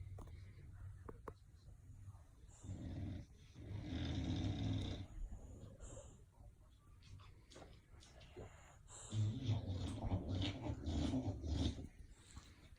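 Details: Sleeping bulldogs snoring indoors: rough, low rumbling breaths rising and falling in uneven swells, loudest around four and ten seconds, with a few faint clicks and rustles between.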